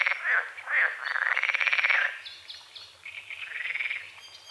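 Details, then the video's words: Frogs croaking at dawn over a small lake on a forest edge, with morning fog over the water: pulsed, rattling croaks in rapid rising bursts, overlapping callers, faint birdsong above. "The sounds of morning frogs croaking"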